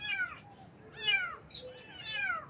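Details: Cute baby kittens in the morning, three plaintive high meows about a second apart, each sliding downward, the middle one loudest, in a quiet room.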